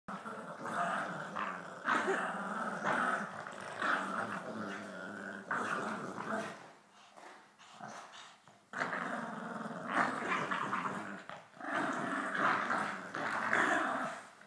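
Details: Two Boston Terriers growl in long, rumbling bursts while playing tug-of-war.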